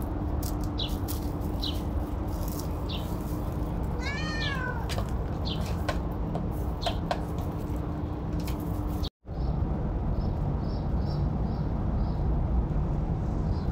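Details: Kittens at play, with a short high meow rising and falling around four seconds and a few faint mews, over a steady hum and background noise; a brief dropout near nine seconds, then soft repeated ticking.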